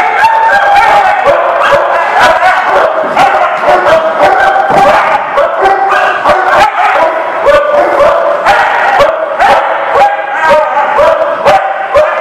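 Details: Many dogs barking together at a lot on March 23, 2019: a dense, loud, nonstop chorus of overlapping sharp barks and higher yips, several per second, with no pauses throughout.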